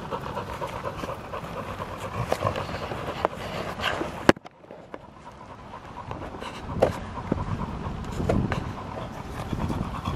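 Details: Panting of a field-type Labrador Retriever at ball play: fast regular huffs, a brief near-silent gap midway, then heavier breathing resumes with occasional clacks and rustling.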